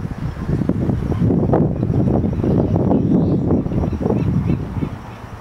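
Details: A crowd of California sea lions on a floating dock by Old Fisherman's Wharf, Monterey, California, barks together in a rough, low, overlapping chorus, 21 March 2013.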